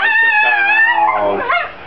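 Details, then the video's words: Chihuahua singing with a drawn-out, tonal howl that holds a steady pitch, then wavers and bends downward near the end, with a faint musical backing. "Singing chihuahua"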